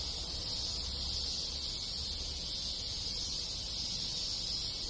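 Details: A summer cicada chorus in a rural Japanese village: an unbroken, shrill, hissing drone from many insects, even in loudness throughout, with faint low rumble beneath.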